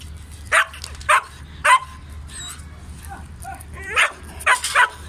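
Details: At a Peshawar kennel keeping German Shepherds of several coat types, three evenly spaced harsh barks sound early. A pause with a faint high whine follows, then a closing cluster of quick, strained yelping barks.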